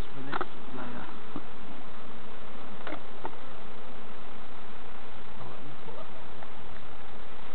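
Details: Honey bees at a hive being inspected by novice beekeepers at Summerwood Lane Allotments and Community Garden; a steady, low, dense droning hum fills the recording, broken by a few sharp knocks and handling clicks.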